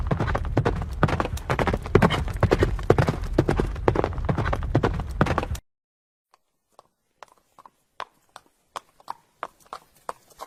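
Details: Galloping horse hooves drum thickly for about five seconds, then stop abruptly, leaving only faint, sparse taps that grow slightly louder toward the end.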